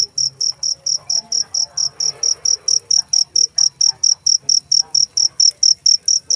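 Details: Cricket chirping shrilly in an even, fast rhythm, roughly four pulses each second, with a soft murmur of low background noise beneath.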